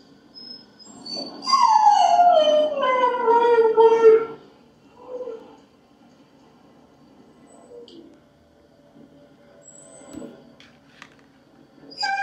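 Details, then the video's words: A Husky waiting for its owner to come home gives a single strong howl of about three seconds that glides steadily downward in pitch, followed by a brief soft whine and then near silence with faint household sounds. "Husky howling and waiting patiently for owner to get back home"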